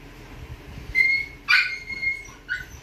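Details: Young red Toy Poodle puppy, deep red coat, giving high thin whines with steady tones followed by a sharp yelp and a short final whimper.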